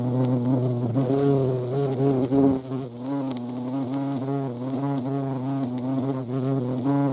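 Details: Droning wing buzz of a European hornet (Vespa crabro) at a feeding place: low and harmonic, with a brief dip and wobble early on, then a steady, slightly fluttering hum.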